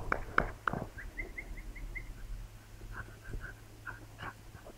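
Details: Two Labrador Retriever puppies learning to fetch: a few sharp squeaks open, then a run of brief rising whimpers spaced evenly, followed by softer scattered whines over low rumbling background and handling noise.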